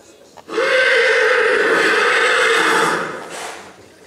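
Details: Black Forest Coldblood horse whinnying at the 2014 stallion licensing in Sankt Märgen, during presentation in hand and free running: one loud, sustained, tonal neigh of nearly three seconds with a quivering edge, then fading, with faint hall murmur behind.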